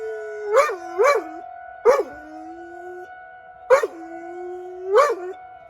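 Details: During a weekly tornado drill in Rochester, Minnesota, a pet dog outside howls at the siren, giving short rising-falling yelps and a few drawn-out wails over the steady whine of the siren.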